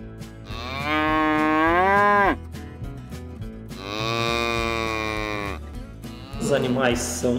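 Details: Cattle shown for sale at a gado auction moo twice in long, bright, level calls ending in a downward drop, followed by a brief higher wavering bleat, backed by steady music.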